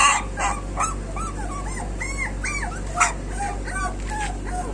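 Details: Street dog puppies give high arched whimpers and yips, several short rising-falling cries overlapping in quick succession, with a steady low hum underneath.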